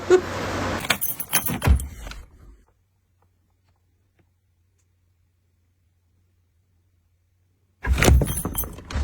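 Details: Keys jangle and rattle over vehicle noise for two seconds, then near silence until the clatter returns at the end.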